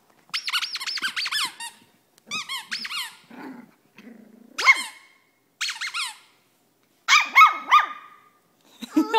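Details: Female Cavalier King Charles Spaniel indoors producing short groups of shrill, whiny yaps and squeaks, each burst rising then falling, spaced by brief silences, with a few softer low grunts between.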